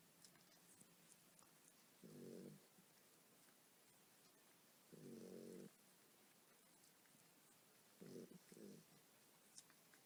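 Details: A tired mother dog snores as her puppies nurse. Rough, low buzzing snores repeat at irregular gaps of two to three seconds, and the last is split into two short pulses. Faint clicks sit in the background.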